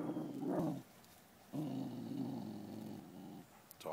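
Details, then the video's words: Neighbour's dogs taunting another dog across a stockade fence: low, rumbling growls in two long stretches of about a second and two seconds, quiet and close, with a brief pause between. "Neighbor's dogs taunting my dog"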